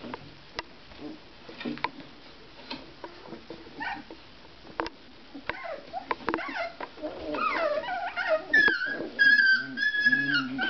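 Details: Basset Artésien Normand puppies, 24 days old, playing indoors; soft scuffling gives way to rising, high-pitched whimpers and yips that grow louder and more frequent toward the end.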